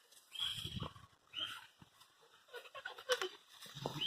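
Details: Young Presa Canario pups at 100 days old at play, giving rough low grunting growls and brief squeaky yelps in short bursts about every second, with faint rustling between.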